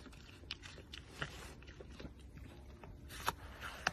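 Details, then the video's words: Red panda smacking: sharp, wet mouth clicks and smacks, irregular and scattered, with a few louder snaps near the end over a low, steady background hum. "Red panda smacks"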